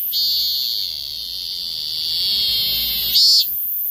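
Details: Steady, high, unbroken whine of a Korean cicada, swelling slightly and ending in a brief louder burst.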